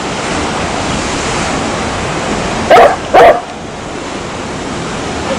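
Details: Two quick barks from a dog in close succession partway through, set against continuous rushing noise resembling waves.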